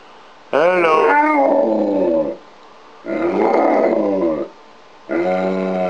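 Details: Trained pet dog saying "hello" on cue: three drawn-out, howl-like vocal phrases with rich harmonics, each about one to two seconds, the first bending down in pitch, separated by short pauses indoors.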